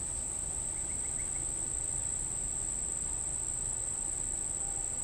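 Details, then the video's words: Unidentified insect near Monticello Lake, Arkansas, on a July 14, 2012 evening at 6:31 pm, giving a steady high-pitched monotone drone that never breaks. There is low rumbling background noise and a brief run of four short faint notes early on. "unknown insect sound"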